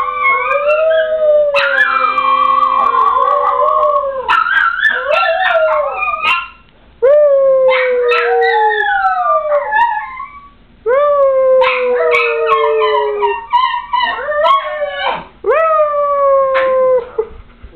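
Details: Two little dogs, Rocky the schnauzer-yorkie and Lua the westie, howl in a chorus of wavering, rising and falling howls broken into phrases with short pauses, their voices overlapping and sometimes breaking into yips.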